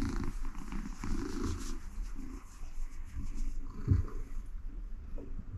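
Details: Content cat being gently petted on her mat, producing a deep, even purr that pulses throughout, with soft handling noises over it.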